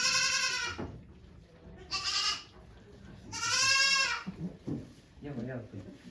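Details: Goat in labour on a Japanese goat farm, 3 May 2023, delivering two kids among watching volunteers; three loud, strained, wavering bleats separated by pauses, a person's voice murmuring near the end.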